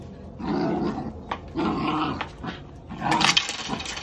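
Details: Four-month-old puppy Max, an energetic dog in Canada exercised on grass fields near home, gives three rough, drawn-out growling bursts, each about half a second long and spaced roughly a second apart.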